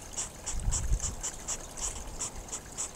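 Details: Hedgehogs snorting during courtship next to a babbling pond, a quick train of sharp, hissing puffs roughly every third of a second, with gurgling water low underneath.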